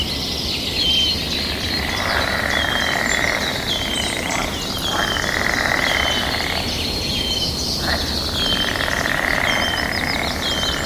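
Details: Mating-season frog chorus answering back and forth: buzzy trilling swells in several bouts separated by brief lulls, while birds add scattered high whistles and chirps over a steady background of natural outdoor noise.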